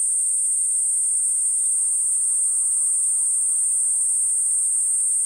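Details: Steady high-pitched continuous drone of a Platypleura kuroiwae cicada, constant in pitch and volume, with a few faint short chirps from another creature near the middle.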